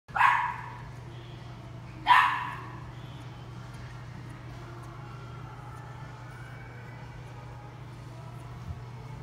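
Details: Pomeranian at a pet shop giving two short sharp barks about two seconds apart, then quiet with a steady low electrical hum underneath.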